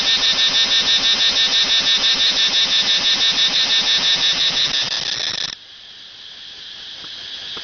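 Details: A cicada outside a house in Pathum Thani, Thailand, gives a loud, shrill buzzing call that pulses rapidly and stops abruptly.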